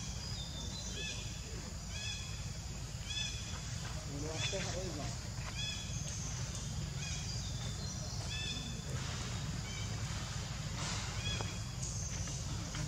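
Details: Hungry infant monkey named Leo cries to its mother for milk: thin, high whimpers in clustered bursts roughly every second, some sliding slightly, with a constant low-pitched outdoor hum beneath.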